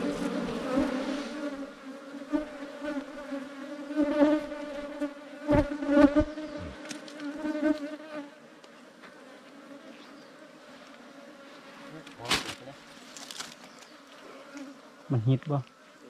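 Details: Wild ground bees, small bees nesting in an underground cavity or termite mound, as honey hunters break into the nest: a steady low droning hum with a clear overtone for eight seconds, then quieter, with sharp knocks and thuds.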